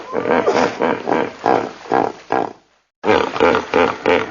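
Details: Rhythmic, wheezy honking grunts from a hippo, roughly three per second, fading out briefly before a fresh run of loud pulses resumes.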